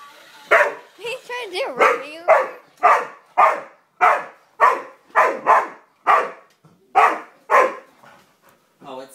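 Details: A dog that seems to dislike a yellow toy car barks at it in a steady series of sharp, broadband woofs, roughly every half second.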